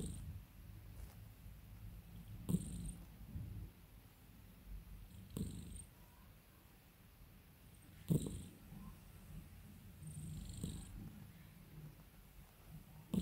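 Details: Pet cat being calmed and spoiled by its owner, purring in a continuous deep rumble, broken by a few short rustling touches spaced a few seconds apart.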